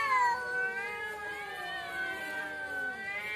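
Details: Cats fighting in front of a house give a long, drawn-out wavering yowl, rich in overtones, that sags slowly in pitch and then climbs again without a break.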